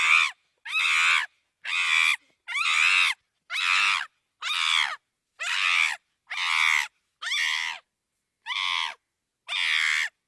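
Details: Chimpanzee screaming: a run of harsh, shrill, strained shrieks, each about half a second long, repeated roughly once a second in a steady rhythm with short silent gaps, and no other sounds.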